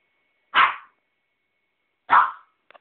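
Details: A puppy named Ettore on a bed gives two short, sharp barks about a second and a half apart, each a quick bright burst, with a faint click at the end and a quiet room otherwise.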